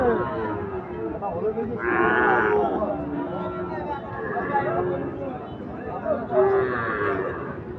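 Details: Sahiwal and Gir breed bull calves at Ambari market; a drawn-out moo rises near the second second and another comes near the end, over steady crowd chatter and men talking.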